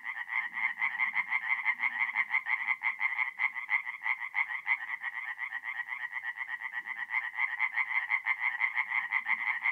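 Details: Night chorus of tree frogs at a forest pond in north-east Italy, mid-April: fast repeated raspy notes from several frogs blend into a continuous pulsing drone, a soft low murmur now and then underneath.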